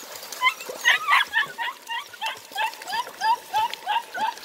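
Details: Eight-week-old German Longhaired Pointer puppies meeting water for the first time give a steady run of short, high, upturned whimpers, roughly four or five a second, with faint splashing beneath.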